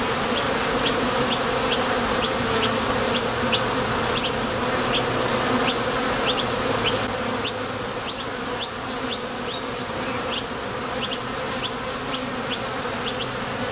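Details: Foraging honey bees leaving and landing at a Top Bar Hive entrance: an unbroken droning buzz with low tonal bands, while quick high-pitched chirps repeat roughly every half second or so over the hum.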